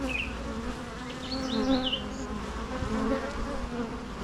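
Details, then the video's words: Bees humming in a steady, dense drone with a low fundamental and stacked overtones, loudness gently swelling and fading; brief high chirping bird notes flick above the hum in the first two seconds. "natural bee sounds"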